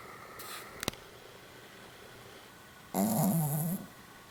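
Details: A sleeping Pomeranian dog lets out one short, rough snore of under a second, low and wavering with a hissy edge. Near-silence comes before it, broken only by a faint click early on.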